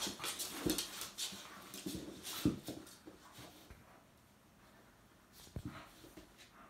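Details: Two-month-old Jack Russell terrier puppy squaring off against a two-year-old fox terrier indoors: short, rough grunting and whimpering bursts near 0.7, 2.5 and 5.6 seconds, with quieter scuffling between.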